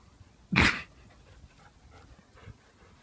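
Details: Ollie, a golden retriever crossed with cocker spaniel, chasing a helium balloon tied to his collar: one short, loud, broadband bark, then quiet panting and light movement noises.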